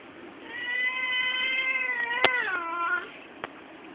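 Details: Pet cat giving one long drawn-out meow, steady and then bending downward at the end, with a sharp click midway and a quiet room hiss behind.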